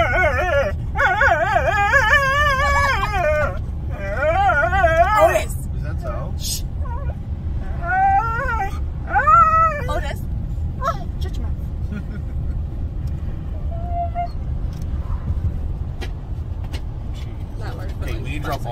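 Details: Two Siberian Huskies howling while riding along in a car: long wavering, warbling howls and whines in bursts through the first ten seconds, then fainter, shorter cries, all over a steady low engine rumble.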